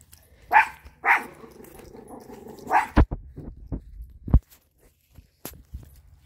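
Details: Domestic dog barking outdoors: three short, sharp barks in the first three seconds, followed by a few dull knocks and thumps, then quiet background.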